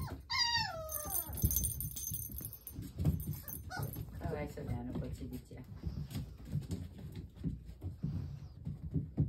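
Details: Puppy siblings at energetic play; a sharp, falling yelp opens, then a shorter whining cry, while a woman talks and the pups scuffle and thump on the floor.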